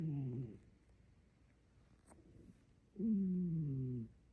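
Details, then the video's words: Cat snoring loudly while asleep indoors: two low, droning, tonal snore breaths about two and a half seconds apart, each slightly falling in pitch, with quiet room noise between. "Adam snores loudly"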